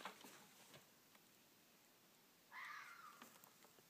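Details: A red fox, loud, calling for its pups at about 1:47 in the morning after some 20 minutes of calling while running up and down a hill, gives a single drawn-out, slightly falling contact cry.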